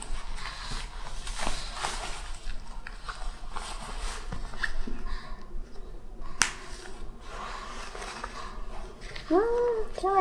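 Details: Black Shih Tzu named Jjanga, a pet indoors in cold winter, being dressed for a home fashion show while refusing to wear clothes; a woman coaxes and talks throughout, with footsteps and rustling, then short arched whimpering whines near the end.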